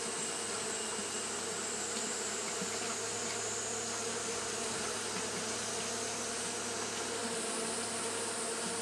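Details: Japanese honey bees fanning through hot weather produce a dense, steady buzzing drone, deep and even throughout, with a faint low rumble underneath and a constant high hiss.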